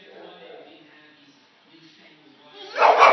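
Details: A Golden Retriever puppy, afraid of a lemon peel, lets out a single sharp, loud bark after quiet talking.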